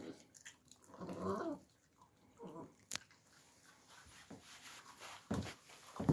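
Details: Young Alabai puppies filmed in winter 2022 give low, rough, growl-like vocal bursts, the loudest lasting about half a second, with a sharp click and a few later grunts among rustling and chewing noises indoors.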